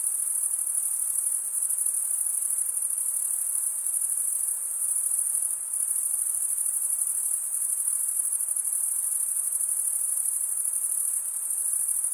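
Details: Cricket stridulation forms a constant, piercing high trill that barely wavers in loudness, like a seamless shimmering ring, with a soft background hiss below and no other animals or people audible.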